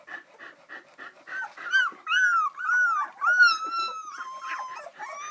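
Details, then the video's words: Samoyed puppies, three weeks old, walking around; soft rapid whimpers at first, then long clear wavering whines, rising then sliding down and held, several overlapping, from restless young pups. "Samoyed Puppies Walking Around 3wks old"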